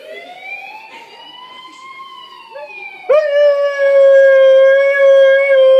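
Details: Siberian husky howling in imitation of a police siren: a fainter wail rises slowly for about three seconds, then a loud, steady, rich-toned howl holds at one pitch to the end.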